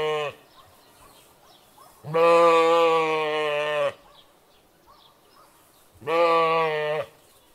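A sheep bleats several times, each call a deep, nasal, slightly quavering 'baa' lasting one to two seconds. The calls come a few seconds apart, with near silence in between.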